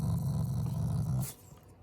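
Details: Shiba Inu family dog growling affectionately, not in anger, while its face is pushed up and squeezed; a low, rumbling growl holds steady for just over a second, then stops abruptly, leaving a quiet room.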